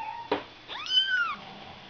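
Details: A single high Ragdoll kitten mew from a litter born on 31 March, sliding up then gently down and fading, preceded by a short sharp click; otherwise quiet.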